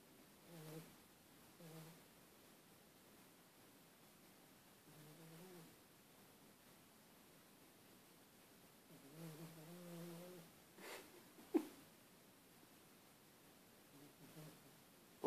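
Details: A pet dog making pig-like noises: scattered low nasal grunting bursts, some drawn out, about one every few seconds, with a couple of sharp snorts near the end in a quiet room.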